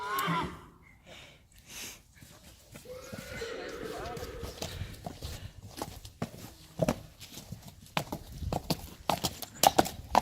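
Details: Three-year-old Friesian colt playing outside gives a neigh around the middle, a wavering harmonic whinny, with irregular hoof thuds and clattering, and human speech at the start.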